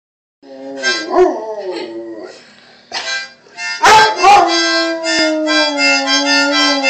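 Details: Pet dog howling along to harmonica playing: a wavering, falling howl early on, then mixed with loud reedy harmonica chords, ending in a long, slowly sliding howl under sustained harmonica notes.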